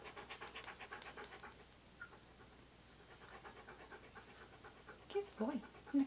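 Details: During a photoshoot where Key the Siberian Husky is posed in hats and clothes, rapid rhythmic panting runs for the first seconds, then fades to a quiet stretch before a few louder voiced sounds near the end.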